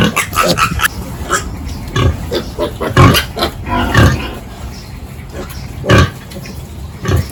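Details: During the morning feed and pen cleaning on a rural pig farm, several pigs give loud, harsh grunts and snorts in uneven clusters, some bursts sharper and higher, against a faint low drone.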